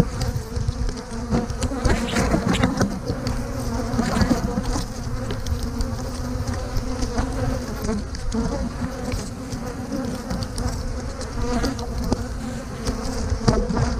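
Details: Steady droning hum of honey bees during a hive inspection while frames holding brood are lifted out for a split, with frequent clicks and knocks of handled frames over the continuous buzz.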